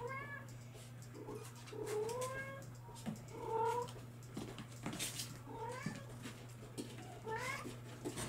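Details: Young Bengal kittens, July 2022 litters, call in a run of high, arching meows, some rising then falling, repeated every second or so with brief gaps, over a constant low electrical hum and faint handling noises.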